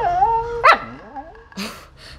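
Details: Talking Siberian Husky on Halloween, tricking her owner for candy: a drawn-out, wavering howl-like vocalization, then a sharp yelp, a falling whine and a short breathy bark, with background hum.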